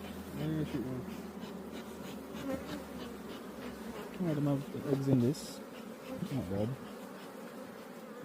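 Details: Honey bees at a hive being worked by a beekeeper, a steady low droning buzz throughout, with a person's voice briefly heard in the middle and near the end.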